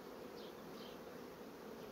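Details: Steady droning hum from a honey bee colony that is quickly filling its frames: many bees buzzing together at a low, even pitch, with a couple of faint higher whines of individual bees flying by.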